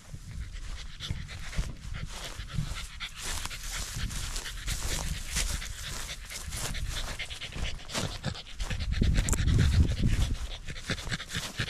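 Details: Corgi panting on a sunny autumn day while hiking a rural mountain overlooking the central Japanese Alps and Ina Valley. Rapid breathy huffs run about four per second, with outdoor rustle and a louder burst near the end.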